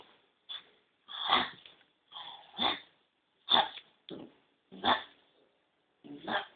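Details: Male Kintamani dog puppies giving short broadband yelps and squeals, seven or so bursts spaced irregularly about a second apart, fairly quiet with no other clear sounds.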